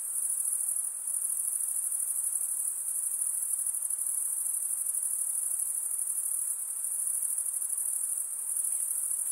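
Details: Insects at night produce a continuous, piercing high trill, a constant metallic ringing that never pauses, over a quiet background hiss of distant insect noise.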